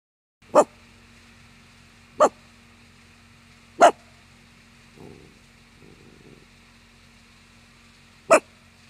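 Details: Miniature Dachshund guarding the yard against the neighbours' golden retriever: four sharp single barks spaced about one and a half to four seconds apart, with low shuffling noises between them and a steady background hum.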